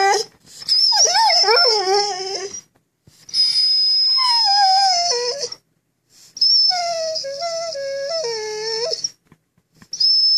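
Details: Male pet Vizsla 'telling a sad story' about missing his fish chew toy: three long, wavering, moaning whine-howls that slide up and down in pitch, separated by short pauses, with a steady thin high-pitched tone running through each phrase.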